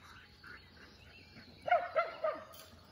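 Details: Shetland Sheepdogs running at full speed give three sharp barks in quick succession near the end, after quieter faint sounds and steady outdoor background noise.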